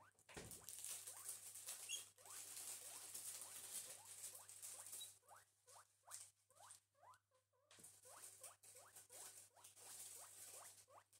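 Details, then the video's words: Guinea pigs Gerti and Walter at breakfast, a pair of new pets, give steady rising chirpy squeaks over constant rustling of bedding and munching, with a brief pause in the middle before squeaking resumes. "The guinea pigs Gerti and Walter have breakfast (relaxing cute guinea pig noises, no talking )"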